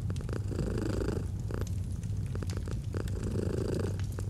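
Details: Soft, deep domestic cat purr with rhythmic breath swells, two brighter phases heard, set against crackling and popping from a fireplace in a cozy autumn atmosphere.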